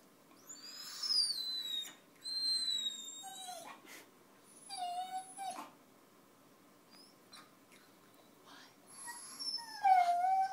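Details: Basenji mix dog singing indoors: high, thin whistled notes sliding downward, in short phrases separated by pauses, with a lower sliding yelp near the end.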